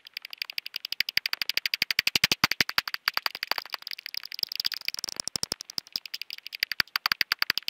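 A common pipistrelle's echolocation, heard as a fast, steady train of dry clicks about twelve per second.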